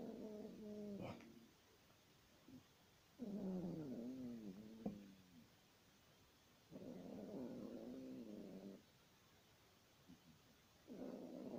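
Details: Sleeping Yorkshire Terrier snores in drawn-out, nasal, whining tones with wavering harmonics, about four snores in twelve seconds, with faint clicks between breaths.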